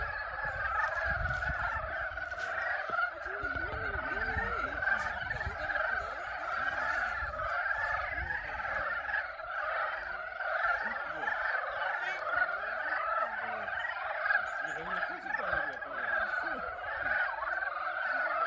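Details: Spring mating chorus of frogs at a pond in Yulgok Arboretum, a thick unbroken mass of overlapping croaks and rattling trills sustained throughout, with faint low rumbling in the background.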